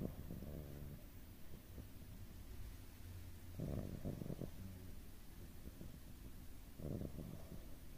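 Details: Doraemon, a pet cat, snores while sleeping: low rumbling snores roughly every three seconds, each about a second long, over the steady hum of a running air purifier.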